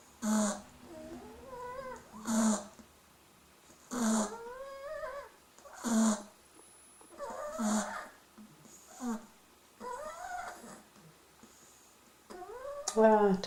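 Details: Sleeping Beagle pups, three weeks old, snoring indoors. Rasping snore bursts come about every two seconds, with wavering high-pitched squeaky whimpers between them.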